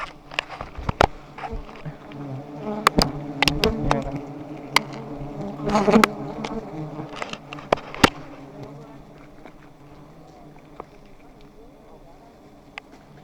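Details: Giant honey bees at one of two high nests being harvested: a steady low droning hum with overtones runs throughout, broken by many sharp knocks and cracks from handling, loudest in the first eight seconds and fading afterward.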